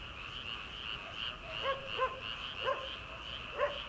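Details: Frogs calling from rice paddies in early summer, before rice transplanting, at late night: a steady, dense trilling chorus runs throughout, while a distant farm dog guarding a house barks four times, and the night air is audible.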